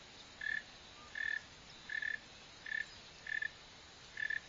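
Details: Northern mole cricket (Neocurtilla hexadactyla), filmed digging and running: six short, pulsed chirps on one steady mid pitch, each about a fifth of a second, spaced under a second apart over a soft hiss.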